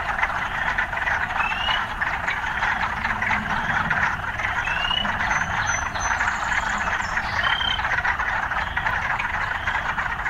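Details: Frogs in an urban setting, mixed with occasional city sounds: a dense, steady croaking chorus pulsing without pause, with a few short rising whistled notes scattered above it and a faint low rumble underneath.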